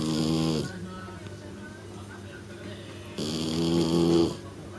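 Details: Snoring from Shiratama, a sleeping three-month-old female kitten said to snore like an old man; one rough, harmonic snore opens the clip and a longer one follows about three seconds later over a quiet low hum.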